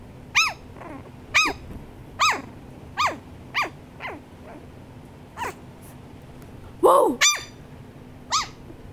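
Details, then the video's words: Shih Tzu barking: a series of sharp, high, arching barks, roughly one per second, with a louder, rougher double bark near the end; faint low background hum throughout. "Shih tzu barking"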